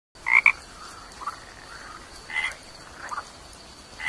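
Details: A tiny toad gives short, sharp chirps, a quick double note at the start followed by single chirps spaced about a second apart against a faint steady hiss.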